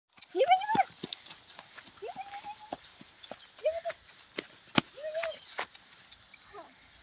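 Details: A Rottweiler (Canis lupus familiaris) puppy gives short, high whines that rise and then hold steady, repeated every second or two.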